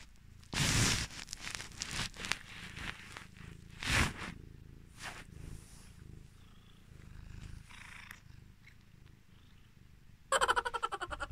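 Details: Pet cat, one of Luna and Athena, reacting while its owner pretends to cry; a low rumbling purr runs under loud rustling bursts, ending in a fast rhythmic pulsing buzz.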